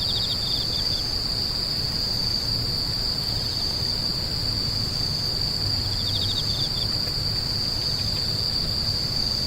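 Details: Steady high-pitched insect buzzing runs without pause, joined at the start and again past six seconds by short rattling bursts of rapid chirps, with a low hum beneath.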